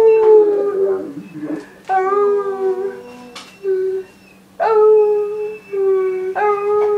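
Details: Irish wolfhound Doogan 'sings' indoors on the family's return, a series of short rising-then-falling howls and yelps separated by brief gaps, each note clear and tonal, small room echo.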